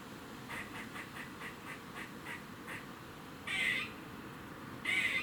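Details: Warning noise from a squirrel in Cambridge, UK, 27 September 2019, 3:16 pm: a run of soft, short ticking chucks, then two louder, drawn-out raspy moans a second apart.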